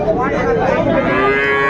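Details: Sahiwal cattle at the start of trading for bull calves at Ambari market in Dinajpur, 21 March 2025; one sustained moo with steady harmonics fills the whole moment, with market crowd murmur behind it.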